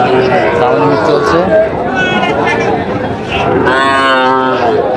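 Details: Small bull and heifer calves traded at a Natore market in Bangladesh, 5 July 2025; a calf's moo swells near the end over steady murmur of buyers and sellers talking prices.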